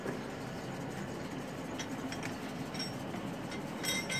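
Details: Steady rumbling traffic or train-like noise fills the recording with a few faint clicks and brief whistles, and no animal voice can be picked out.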